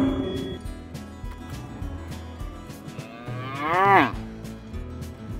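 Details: At a cattle auction, one short moo rises and then drops sharply, lasting under a second. Rhythmic background music with a bass beat plays throughout.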